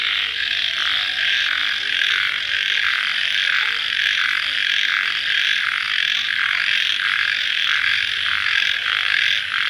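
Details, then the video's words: Night chorus of crickets right after rainfall: continuous shrill trilling with a rhythmic throb of roughly one and a half pulses per second, unbroken throughout. "Suara Jangkrik Dimalam Hari Sesaat Setelah Hujan"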